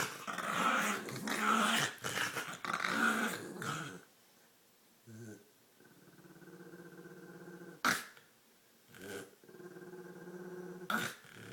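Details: Female dog playing with her green toy, snorting, growling and gurgling; rough, rumbling growls and snorts fill the first four seconds, then quieter gurgling with a few sharp noises, while a person talks to her.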